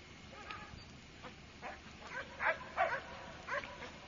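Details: Doberman Pinscher puppies, with the father named Hannibal Lecter nearby, giving a run of short high whimpering yelps that grow louder midway, several closely spaced cries in a quiet indoor space.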